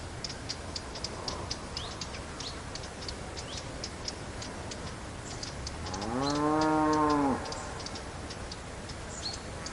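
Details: Cow lowing once, a moo of about 1.5 seconds rising then steady, heard over constant background noise with frequent birds chirping and ticking sounds throughout.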